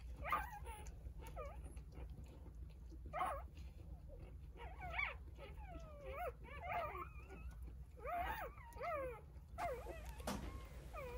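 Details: Newborn Jindo puppies, three days after birth, nestled with mother Sarang in a litter of nine. Scattered clusters of thin, wavering whimpers come in short bursts separated by quieter gaps, with a soft rustle near the end.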